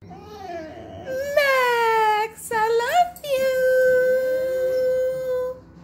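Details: Max, a pet dog, howling as it sings along: a faint opening tone gives way to long, smooth, richly harmonic howls, briefly broken and wavering in the middle before settling into one steady, drawn-out note.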